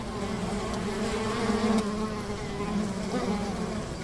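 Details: Honey bees at a hive by a river: a dense, steady drone of many overlapping wingbeats with low, wavering hum bands that swell slightly in the middle, over continuous soft broadband hiss.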